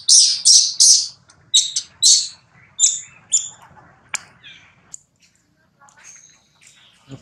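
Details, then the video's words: Rex, a baby monkey, crying loudly while his mother Rose rebuffs him at breastfeeding: a run of piercing, high squealing wails in quick bursts about every half second, then thinning into fainter squeaks and quiet. "Mom Rose Repeatedly Abuse Rex During Breastfeeding, Rex Cry Loudly."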